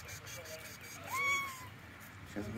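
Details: Stray street cats eating meat outdoors; one clear meow, a smooth tone rising then gently sliding down over about half a second, amid soft voices calling to the cats and faint street background.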